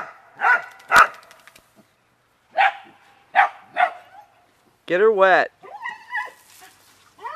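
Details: Beagle and dachshund dogs having fun in water give several sharp barks with pauses, then a drawn-out, wavering whine near the end, while a woman speaks.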